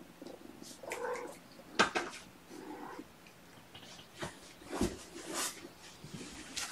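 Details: Sleepy kittens indoors, waking gently from a nap on weigh-in night, give soft, short mewing calls near the start and again after a pause, over rustling bedding and scattered clicks.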